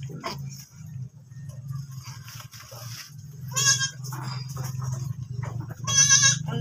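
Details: Goat on a farm after giving birth again, two wavering, quavering bleats near the end, a second apart, over a steady low hum and faint voices.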